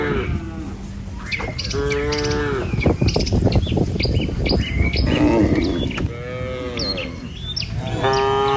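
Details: Herded tame cattle heading along a rice-field path and over a wooden bridge to pasture: several drawn-out moos, one early, one mid-way and more toward the end, over a rumbling low background and frequent high bird chirps.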